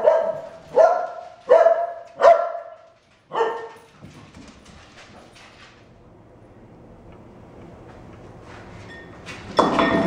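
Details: Dogs during a Vancouver stopover, where Cardigan corgi puppy Robbie, travelling from Toronto to Portland, visits Radar and Dixie: five sharp, ringing barks about every 0.7 seconds, then low rustling and a loud noisy burst at the end.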